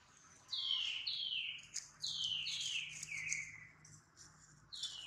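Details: Baby monkey Duke crying after failing to catch his mother, Duchess, and getting hurt: a run of high, thin, squealing cries, each sliding sharply downward, repeated about five times in quick succession with brief gaps.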